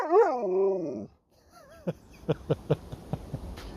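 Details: Sherpa the Alaskan Malamute gives a drawn-out wavering moan that rises and falls for about a second, then a short whine and a series of sharp tapping sounds.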